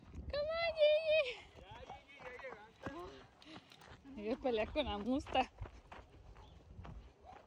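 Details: Basset hound vocalising on a weekend outing: a sustained, wavering mid-pitched howl of about a second opens, followed by shorter rising and falling howl-like yelps mixed with voices, with footsteps and clatter beneath.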